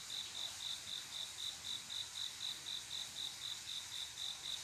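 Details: On a quiet midsummer night a male cricket sings to attract a female: even, shrill chirps at a rate of roughly four per second, with faint steady hiss behind them.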